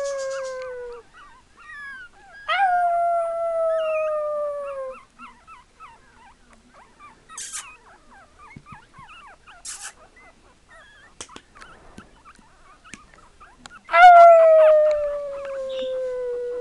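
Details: Baby Chihuahuas give a short howl and then a longer one that slides gently downward. A stretch of soft little yelps and light clicks follows before one more strong howl rises and trails off.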